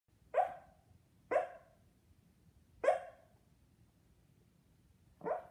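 A dreaming Shih Tzu gives soft, muffled woofs at uneven intervals.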